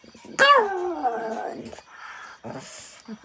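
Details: A Shih Tzu puppy 'sings' on request: one strong, tonal howl that bursts in and then glides steadily lower for about a second before fading, followed by quieter murmuring and a woman urging it in Malayalam to sing again.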